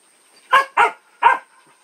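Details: Dog barking three times in quick succession, sharp broadband barks with harmonics, the middle two close together and the third after a short gap, quiet background otherwise.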